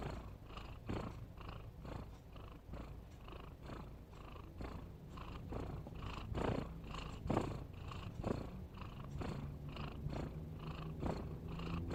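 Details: Cat snoring in a continuous run of short, scratchy breaths a little over once a second, low and rumbling with small swells in loudness throughout.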